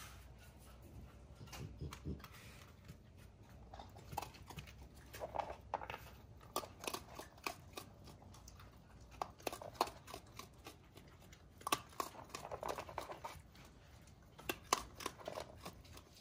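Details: Three curious raccoon kits with their mother Edith, rescue raccoons recorded in 2020 while fireworks went off in the area; scattered bursts of rough chattering and squeaky notes between rustles and taps.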